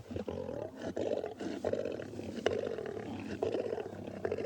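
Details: Lions fighting over food at a kill, Tswalu Kalahari Game Reserve, South Africa, 25 May 2020 at sunrise: loud rasping snarls repeat roughly every second, each a short harsh burst, with cub contact calls amid the feeding.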